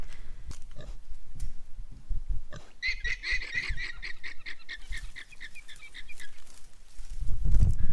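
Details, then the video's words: Alpacas on a flower farm in spring give shrill, screechy alarm calls in rapid repeated bursts, aimed at nearby pigs. "The alpacas are doing alarm calls at the pigs. I'll see if I can catch it on camera."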